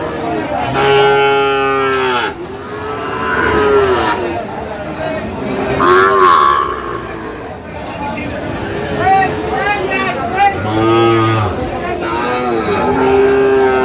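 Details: Sahiwal bull calves being bought by a farmer from Barishal: several drawn-out, droning moos rise and fall across the recording, overlapping with men talking nearby and faint background traffic.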